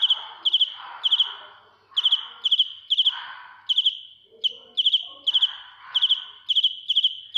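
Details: A cricket chirps shrilly up close, giving short groups of two to four high pulsed chirps with brief breaks. Faint lower rustling and scratching sounds accompany many of the chirps.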